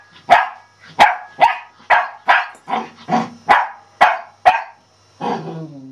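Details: Sheltie giving a rapid series of about nine sharp, loud barks, roughly two per second, evenly spaced, ending with a longer, lower, rougher bark.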